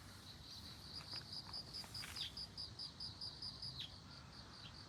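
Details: Bell cricket beside globe amaranth, giving a string of short, clear, high ringing pulses at an even pace for about three seconds, with a few faint downward chirps in the background.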